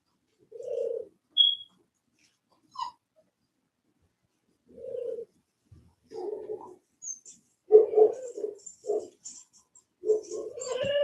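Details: Cane Corso, an Italian Mastiff, at a breeder one hour west of Nashville, Tennessee: soft mid-pitched whines and short grunting yelps come in bursts, growing busier toward the end, with a faint high squeak early on.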